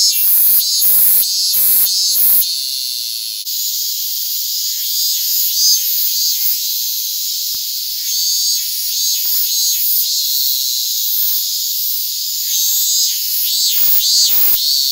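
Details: Japanese cicadas, Hyalessa maculaticollis fuscata, held on a hand on August 8, 2022: a dense, shrill, high buzzing chorus runs throughout, cut by loud crackling bursts, clustered at the start and repeating irregularly after.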